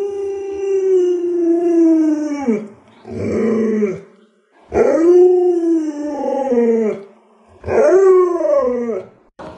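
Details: Pet Alaskan Malamute at home howling in a series of drawn-out, tonal wails, each about two seconds long and sliding downward in pitch at the end, separated by short pauses with brief lower grumbling between them.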